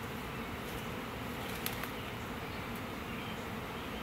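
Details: Swarm of roughly 20,000 to 30,000 honey bees from a one-year-old hive, being housed in a hive box on a Saturday morning, with bees fanning. A dense, steady, broadband buzzing hum fills the recording, with faint clicks.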